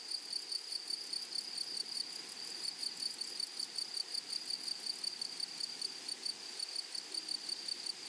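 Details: In a flowery prairie meadow, a grasshopper chorus keeps up a continuous high-pitched buzzing trill, evenly pulsed and unbroken from start to end, with light rustling noise beneath.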